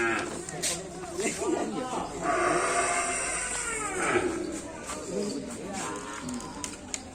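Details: Cattle at a kerapan sapi bull race on the Asemanis field: a loud, drawn-out harmonic moo swells and bends downward mid-clip, amid crowd chatter, speech and background music.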